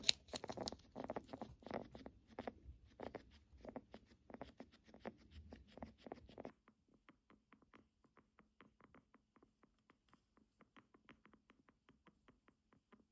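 A guinea pig's breathing crackles with soft, rapid clicks, a sign of respiratory illness.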